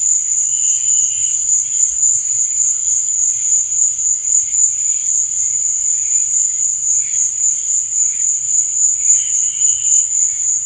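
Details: Night chorus of crickets, an unbroken piercing trill held at one high pitch. Short, quieter buzzy phrases rise and fade beneath it now and then.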